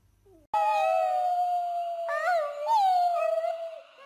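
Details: Dog howling: one long sustained howl lasting over three seconds, steady at first, then wavering and wobbling in pitch before trailing off, with a faint short sound just before it begins.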